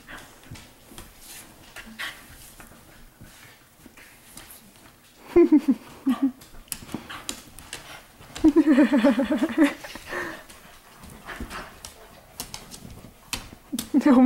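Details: Several pups romping in a living room at night, 15 May 2014; short, low, wavering whiny growls come in brief bursts, with one longer, louder stretch of about a second and a half, over soft thumps and rustling.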